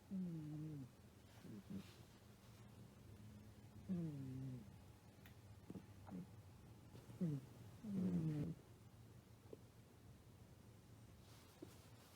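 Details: British Shorthair Kotetsu sleeps deeply after a tiring vet visit for flea and heartworm medicine. Low, tonal snores slide downward in pitch and recur roughly every two seconds, with soft rustles between breaths indoors.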